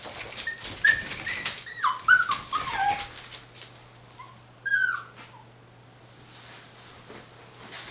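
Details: Border Collie puppies, born 19 September 2020 and recorded on 1 November at a breeder's home in Fukiage, Hioki, Kagoshima, Japan, give several high, thin whines that slide down in pitch over three seconds, then one more whimper, with a faint steady hum beneath.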